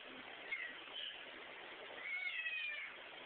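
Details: Pet cat getting mad at its owner, giving a faint brief meow early on, then a longer, louder wavering meow near the end, recorded with muffled, narrow-band sound and hiss.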